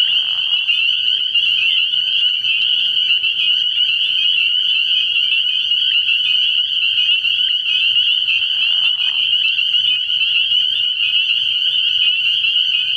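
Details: Frog pond at night early in the year, full of spring peepers: a steady, piercing high chorus of overlapping peeps with no gaps, plus a couple of brief lower sounds.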